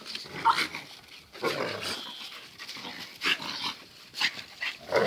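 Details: Two dogs, Zion and Tyson, in their fierce daily play fight; short snarling growls and snorts come in bursts with quiet gaps between.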